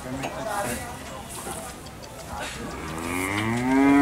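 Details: Cattle transported by vehicle between markets in Indonesia; mostly rumbling and clatter at first, then a rising moo begins near the end and grows louder.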